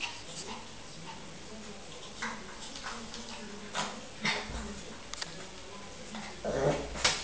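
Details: A 12-week-old Lhasa Apso puppy playing with its reflection in a mirror gives brief, high yips and soft whimpers between scuffling and tapping noises.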